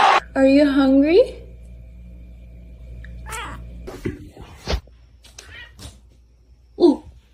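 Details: Domestic cat giving a short, rising, harmonic meow lasting under a second, followed by quiet room sounds, a few scattered clicks and knocks, and one brief sharp cry near the end.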